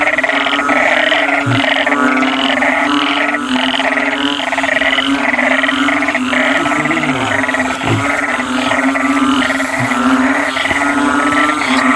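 Loud, steady background music with a repeating beat and sustained tones fills the recording.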